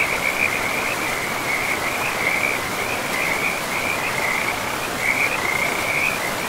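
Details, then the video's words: Frogs calling beside a river in a pristine forest: a near-continuous chain of short, raspy, mid-high pulses, bursts run together with only brief gaps, over a steady broadband rush of flowing water. "River and Frogs sleep sounds"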